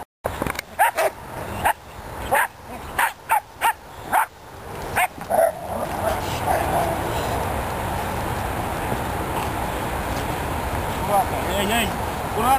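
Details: A Belgian Malinois protection dog in training barks in a rapid, irregular volley of about a dozen loud, abrupt barks over five seconds. Steady noise and a handler's commands follow.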